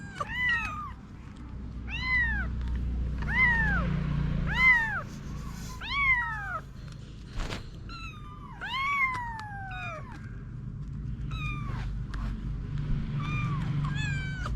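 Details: Mother cat named Anna with her kittens; a run of high, arching meows, several overlapping, sliding down at the end, repeated roughly every second with brief gaps, over a low steady rumble.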